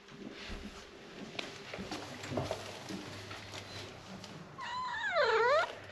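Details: Abyssinian cat throwing a tantrum indoors when its owner came home late; one long loud wavering meow near the end, rising then dipping, after quiet room noise and faint thumps.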